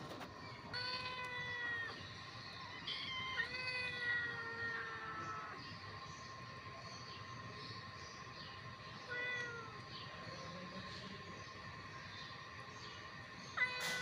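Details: Hungry kittens fighting over food give several drawn-out, harmonic meows that slide downward, heard in bursts near the start, middle and end, over a steady high-pitched background hum.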